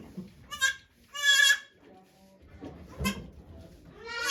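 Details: At Yoshigake farm on 3 May 2023, goat Okayu gives birth to two kids before watching volunteers. Short, harmonic bleats come in quick succession, one longer quavering cry among them, with faint voices and rustling in between.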